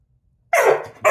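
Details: Labrador Retriever puppy Gus, indoors, joining a bass trombone duet: a sudden loud yelping bark sliding downward in pitch, cut short, then a second yelp beginning.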